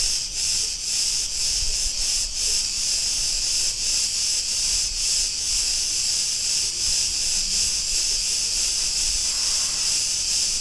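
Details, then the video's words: Street in Ierapetra, Crete, Greece, filled with cicada song: an intense, hissing wall of sound beating in rapid even pulses throughout, little else audible beyond faint low background noise. "Cretan cicadas sounds"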